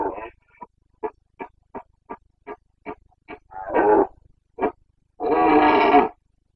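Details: Rutting Carpathian stag in Bucovina's mountains, September 2022 boncănit: a run of about ten short, clipped grunts at a steady beat, then two longer, broad, rasping roars.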